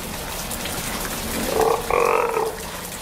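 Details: Captive Steller sea lion pup aged two months, in its first display pool at a Japanese aquarium in Ise, gives two rough bleating calls in its second half, the second longer and brighter, over a background hiss.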